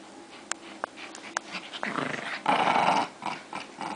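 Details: Two dogs fighting; scattered sharp clicks, then rough, noisy snarling and growling that builds into a loud burst midway before breaking into short harsh snarls.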